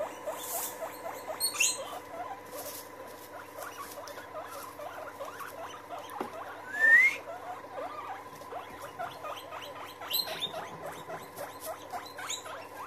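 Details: A group of guinea pigs gathered together, keeping up rapid, repeated squeaky chirps throughout, with one louder rising whistle near the middle and light rustling.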